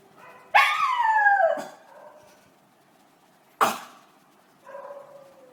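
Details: Money the Miniature Schnauzer gives a short falling howl, then a harsh broadband burst like a cough, and ends with a softer brief howl.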